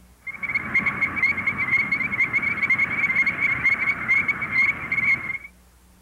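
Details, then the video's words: Illinois chorus frogs in Missouri, which breed in early spring in flooded fields and water-filled ditches, call in quick, clear, high peeps repeated about twice a second. "The voice of the Illinois chorus frog sounds like this."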